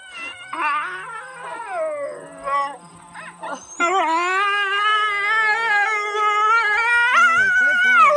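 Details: A coyote at Aspen Valley Wildlife Sanctuary gives a wavering, quavering howl that swells into a long, sliding wail.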